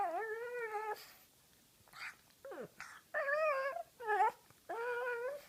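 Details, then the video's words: Ty, a female pug named Tyler Durden, vocalizes as her face is played with: short moaning whines that rise and fall, about a second each, separated by pauses and faint rustling indoors. "Tyler Durden the Pug (Ty) makes funny noises"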